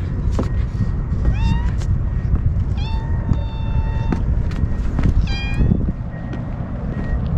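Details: Stray kittens being fed outdoors on a strongly windy day: three short rising meows, each sliding up in pitch, at about 1.4, 2.9 and 5.4 seconds, over a constant low wind roar, with a faint steady tone in the background.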